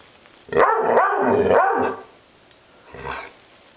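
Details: Maggie, an upset pet dog, gives three quick joined harsh barking growls, then one softer short call after a pause.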